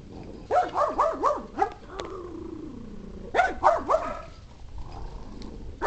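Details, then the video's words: Pet pug Maggie lets out a rapid run of rough, wavering barks, then a drawn-out whining sound, then another burst of three barks, with low room noise behind. "Pug Barking"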